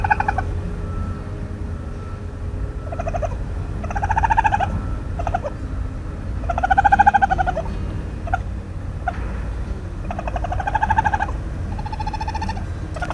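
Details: A raccoon (Procyon lotor), recorded by chance, gives a series of high, wavering, whimpering cries that rise and fall over a low rumble.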